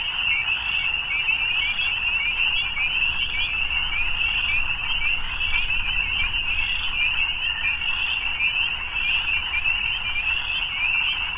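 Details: Evening frogs in full chorus, a dense high-pitched pulsing trill sustained throughout, with a soft low rumble beneath.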